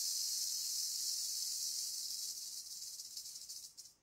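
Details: Agitated timber rattlesnake nearly in attack stance, rattling in a steady high dry buzz that breaks into pulsed stutters and fades out over the final second and a half.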